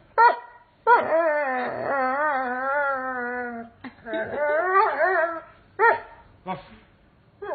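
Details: A male Doberman Pinscher "sings" along with music, howling in long, wavering, tuneful notes broken by short yips; Doberman Pinscher.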